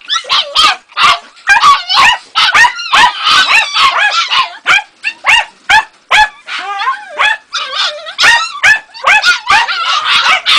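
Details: Ega, a Jagdterrier pup aged two and a half months, yaps continuously in quick, irregular bursts of sharp, high-pitched barks. Some notes are squealing and bent, and there are almost no pauses.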